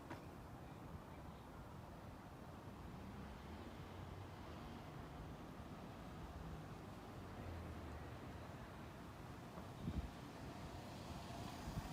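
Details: Low rumbling wind and distant vehicle noise outdoors, with a brief knock near the end; no animal voice is heard.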